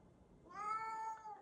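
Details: Siamese cat named Kkami meowing indoors after being scolded for not opening a door; one drawn-out harmonic meow starting about halfway through, steady then slightly falling, in a quiet room.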